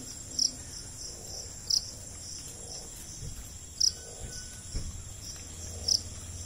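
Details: Cricket, called jhingur in India, giving short bright high chirps about every one to two seconds over a steady high insect hum and faint low background rumble.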